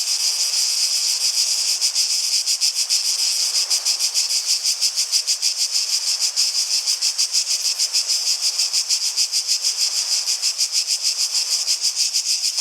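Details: Continuous shrill cicada chorus, its buzzing pulsed quickly and fairly evenly, about three beats a second, holding at a steady loudness throughout.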